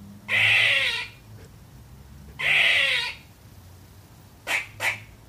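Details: Barking baby squirrel, a young female, calling at nothing: two long, harsh, wheezy barks about two seconds apart, followed by a quick pair of short sharp chucks.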